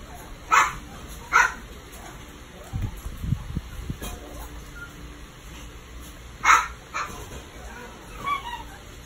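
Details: Long-coated chocolate female Chihuahua giving a few short, sharp, high yips: two close together early, another after a long pause, then a faint thin whine near the end, over a low steady background rumble.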